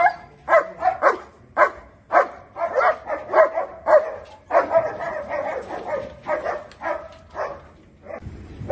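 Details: Angry German Shepherd from India giving rapid, continuous harsh barks, nearly two per second, some overlapping into a dense volley with little pause between them.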